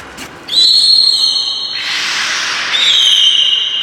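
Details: Captive beluga at Port of Nagoya Public Aquarium, Japan, 8 January 2018, around feeding and play time: a bright, steady high whistle with rich overtones that breaks off briefly, then resumes as a noisier squeal and ends in a level tone.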